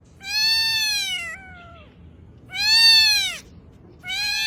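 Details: Cat meowing: two clear, tonal meows of about a second each, arching up then sliding down in pitch, with the start of a third, separated by short pauses over faint background noise.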